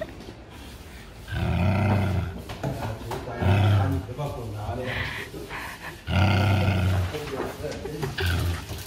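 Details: A neutered male Japanese Spitz, thought to be born in 2015, growls in low, rumbling bursts of about a second each while people talk nearby; its owners can't tell whether it is pleased or annoyed.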